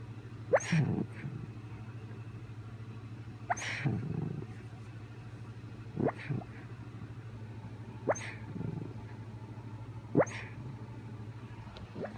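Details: Sleeping puppy at home making an odd noise: short, sharp snort-like bursts with low grumbling, repeated about every two seconds, six times, over a steady low indoor hum.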